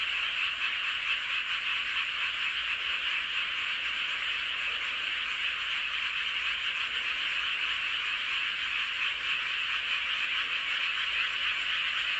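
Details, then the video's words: Under a full moon in Hoengseong County's Seowon-myeon, Gangwon Province, countless frogs call together, their high, rattling croaks fused into a continuous dense chorus that stays level throughout. "보름달 아래 개구리들의 합창"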